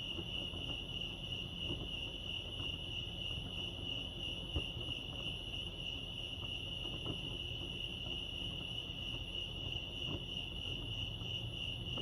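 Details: At Lake Arrowhead, California, crickets produce a continuous high, evenly pulsed trill, steady in loudness, over a low murmur of ambient noise.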